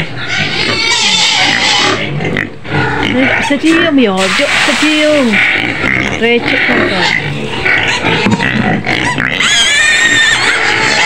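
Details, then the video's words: Screaming white pig kept in a pen near Medan, Indonesia: repeated wavering, bending squeals in the middle and a high shrill scream toward the end, mixed with constant human chatter. "SUARA BABI PUTIH MENJERIT JERIT DI KANDANG"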